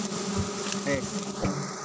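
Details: Giant honey bees (Apis dorsata) at a honey harvest in the bright season, when honey is plentiful and thicker: a dense, steady droning hum with layered tones, continuous throughout with no breaks.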